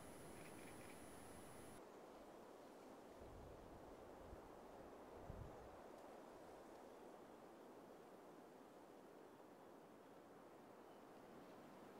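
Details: Steady wind and outdoor rustling, with no animal calls heard. A faint high electronic whine sounds in the first two seconds, and a low rumble swells briefly near the middle.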